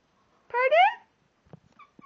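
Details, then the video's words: Pet cat indoors talking to its owners: one meow lasting about half a second that rises and then falls, with rich harmonics. A few faint soft knocks follow. "another one of Milo the cat talking to us"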